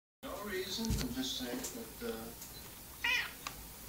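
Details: Domestic cats fighting over food indoors: low wavering growls and short yowling cries with harmonic bands, a sharp rising howl near the end, light background noise.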